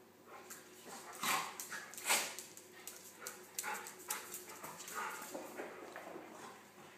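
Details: Two pet dogs at play, Nelson the gentle golden retriever and Buster the Pomeranian poodle, who gets underneath him and nips his ears; short yips and grumbles among scuffling, with a sharp louder burst near the second mark.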